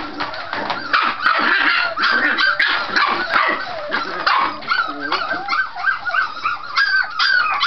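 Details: Scottish Terrier puppies in noisy play that can look like fighting but is not; rapid overlapping yaps, growls and high squeals, with some wavering whine-like notes toward the end.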